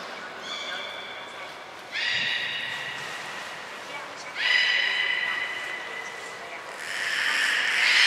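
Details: During pool transfer and training at Port of Nagoya Public Aquarium on 23 February 2021, the belugas Hodoi, Taanya and Mirai give short, bright harmonic calls about every two and a half seconds, ending in a louder, noisier burst.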